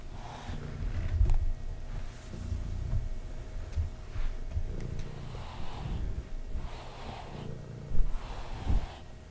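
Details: Pet cat purring indoors while being brushed: a low, steady rumbling purr runs throughout, overlaid by soft swishing brush strokes that come roughly every one and a half seconds.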